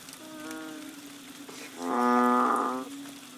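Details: Banded bullfrogs in the rains on Koh Lanta, Thailand, March 2011: a softer distant moo, then a louder nearby harmonic moo lasting about a second, over a continuous low chorus drone.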